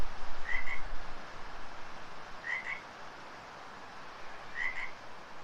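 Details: An unseen frog close by in a stretch class studio gives brief paired chirps, three times, roughly two seconds apart, over constant hiss and soft room noise.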